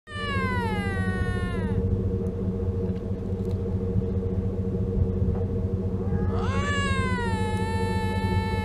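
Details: Wild lynx screaming during mating season beside the Mackenzie Valley winter road, making strange sounds: two long, high, harmonic wails sliding downward then rising again, with a steady low engine rumble underneath.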